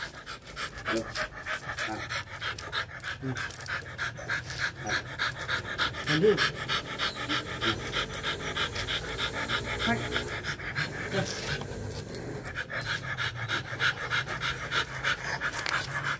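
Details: Quick, harsh breathing from a Rottweiler during mating, sustained and fairly regular, with some human voices faintly mixed in.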